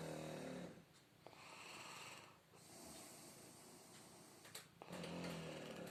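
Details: Filya, a Shar Pei dog, snores while asleep during his nap indoors: long, rasping, low breaths open and close the stretch, with softer wheezy breathing between them.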